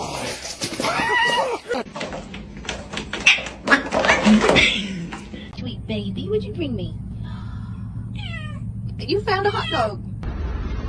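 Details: Domestic cat in a funny-cat compilation. People talk and clatter at first, then the cat answers with several wavering, bending meows, a few close together near the end, over a low background hum.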